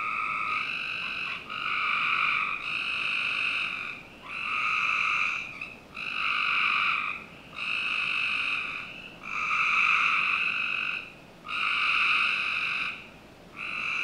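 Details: Summer-night frog chorus from a backyard in Northern Virginia: a series of buzzy trills, each lasting about a second and repeating roughly every two seconds with short pauses, over a low constant background hiss.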